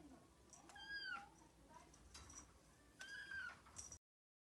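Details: Ragdoll cat's first recorded voice, caught one morning indoors: two short, clear, high mews, each slightly arched in pitch, about two seconds apart, with faint rustling and clicks in the background.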